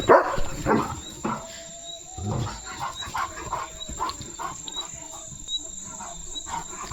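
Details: Leo, a pet German Shepherd, dashing off at high speed after spotting another dog; a run of short, rough bark-like bursts, irregular and loudest at the start, over a steady high electrical whine.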